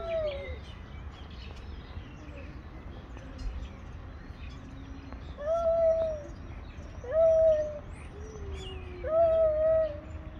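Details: Two male cats living on the street come face to face to fight; loud, sustained harmonic yowls swell and fade about every one to two seconds, with quieter wavering moans between them.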